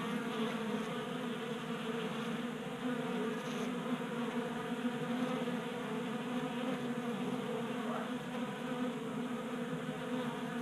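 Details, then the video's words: Honey bees, kept active by late winter heat in Colorado in January, crowd a 3D printed table feeder indoors in a garage. A dense, unbroken droning hum of many wings sustains at an even level throughout. "45 Minutes of Honey Bees Feasting from 3D Printed Bee Feeder ASMR"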